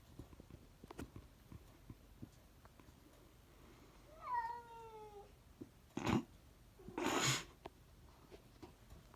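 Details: Cat producing one short, falling meow midway, followed by loud rustling and a burst of broadband scraping noise, with scattered small clicks throughout.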